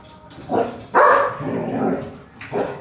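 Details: Belgian Malinois indoors while helping keep the house clean: a few short, sharp barks and yelps, one loud bark near the middle trailing into a growly tail, then a final bark; faint Spanish speech and music just before.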